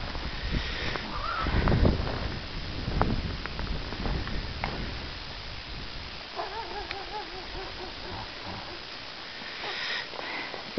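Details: Filly on her first time out, meeting Polar, a Great Pyrenees guardian dog. A wavering, vibrato whinny rises and falls for about two seconds midway, after low thuds and rustling, while a person speaks softly to the horse.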